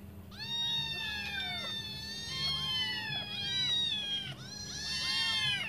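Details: Five hungry kittens meowing while waiting for their mother to return and feed them; overlapping high, arching harmonic meows from several kittens in continuous bursts, with a steady low hum underneath.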